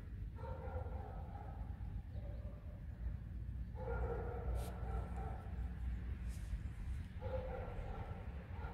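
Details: Alice, a tame fox, grumbling during play in the first snow: three drawn-out, whiny, tonal grumbles, each lasting about one and a half to three seconds, over a steady low rumble.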